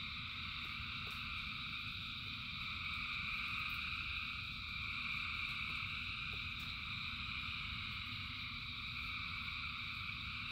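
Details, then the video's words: Thousands of frogs sing through the rain, a ceaseless high trilling chorus in bands, with heavy low rain noise and scattered sharp drip ticks. "Frogs in Rain 2 Hours of Frogs, Thousands of Frogs Singing"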